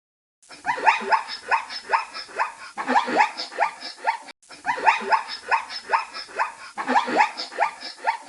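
A zebra gives a run of harsh, honking barks in quick repeated bursts.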